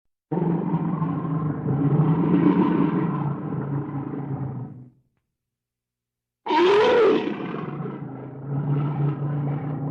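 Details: Wild bear in the wilderness roaring: a deep, rough, rumbling roar of about five seconds, then a pause, then a harsher roar that starts with a rising, then falling cry and settles into a lower growl.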